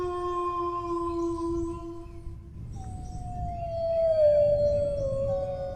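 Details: Dog howl: a low steady tone fades out. A new howl begins higher and glides slowly downward with a slight waver, over a low rumbling background.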